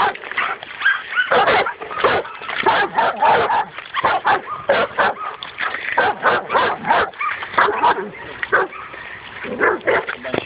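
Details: Excited dog facing a wild boar for the first time: fast, continuous harsh barking, some barks doubled, keeping up an urgent rhythm throughout.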